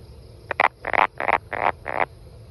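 A brown banana frog gives a short series of dry, rasping clicks, about two per second.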